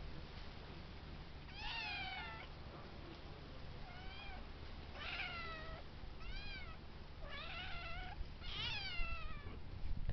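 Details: Domestic kittens, fourteen weeks old, meowing in turn indoors: a series of short, clear rising-then-falling mews from several kittens, about seven calls overlapping like a round, over a low steady background hum.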